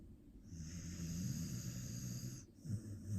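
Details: Australian Shepherd (Aussie) fast asleep like an old man, snoring heavily and twitching in its sleep: a low, droning rumble with a steady humming tone and a thin hissing wheeze above, a brief pause, then the snore resumes.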